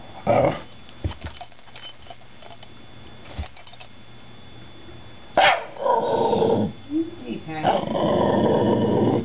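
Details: Patrick, a Shiba Inu, "talking" to two cats rescued two months earlier, indoors at home; short scattered grumbles early on, then long, loud, harsh, growly vocal bursts filling the second half, with a human voice nearby.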